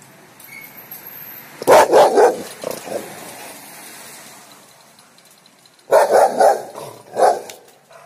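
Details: A Rottweiler puppy eager to play with a cat barks in two bursts several seconds apart, each a quick run of three or four short loud barks, with low background noise between.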